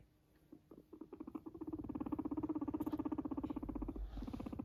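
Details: Pet guinea pig purring while yawning: a low rapid pulsed rattle, about four pulses a second at first and then quicker and steady, building in loudness and then tapering, with a brief soft squeak near the end.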